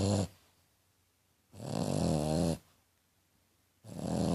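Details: A female French Bulldog snoring, said to sound like a little pig; three rough, rasping breaths with a buzzy low rumble, each about a second long, separated by roughly two seconds of quiet.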